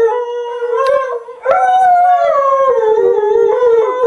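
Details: Airedale Terrier singing: a sustained, tonal, mid-pitched howl that wavers, breaks briefly, then resumes in a long, slightly falling, rich-toned note.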